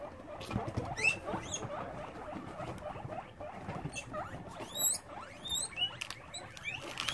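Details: Rescued guinea pigs at a Brisbane, Australia sanctuary in the evening give several loud rising whistled squeals that sweep sharply upward, over busy low chattering, rustling and pattering.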